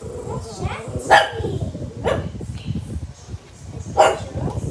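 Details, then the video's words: Pet dog barking at another dog: three sharp, harsh barks spread over about four seconds, mixed with a person talking and background music. "barking at"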